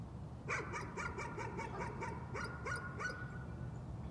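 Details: Nuisance barking: a dog lets out about ten rapid, evenly spaced barks across two and a half seconds against a low steady hum.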